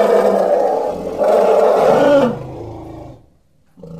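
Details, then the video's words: Elephant giving a loud, rough roar for about two seconds, low and broad with a harsh, noisy texture, then fading into a quieter rumble before a short burst at the end. "Elephant Sounds"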